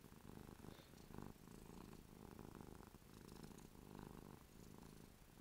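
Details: Happy, drooling house cat named Ruby purring close up: a throaty low vibration pulsing in regular breaths, louder stretches separated by brief softer gaps.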